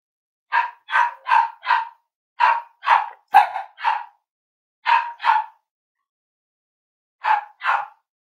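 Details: Cavalier King Charles Spaniel puppies playing and exploring together during a live session bark in quick bright yaps, mostly in pairs and runs of four, pause, then a final double bark; no other sounds.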